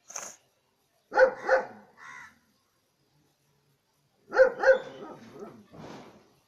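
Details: Dog barking in two short pairs, about three seconds of silence between them, each pair followed by a softer, breathy trailing sound.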